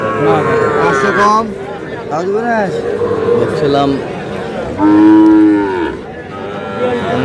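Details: Sahiwal bull calf lowing at a Kurigram cattle market, Bangladesh, 3 March: several drawn-out harmonic moos, some rising and falling, one loud long moo near the end, with market chatter and haggling voices beneath.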